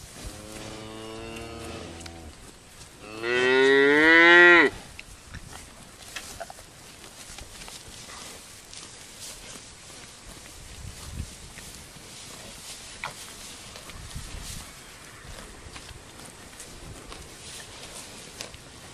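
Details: Grazing cattle, 2019: two deep moos, the first low and steady, the second louder and rising into a strained bellow, then soft chewing and rustling of grass for the rest of the time.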